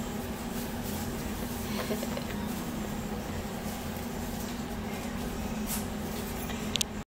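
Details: Steady low hum with constant broadband room noise throughout, a couple of faint clicks near the end and no animal voice.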